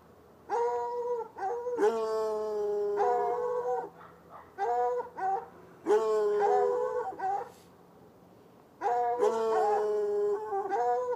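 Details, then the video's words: Saturday-night barking by a white hound and a dark hound chained near a red outbuilding next to an irrigation ditch, heard from across the ditch at roughly 10 yards; sustained baying barks running in long overlapping groups, then a pause. "Barking dogs"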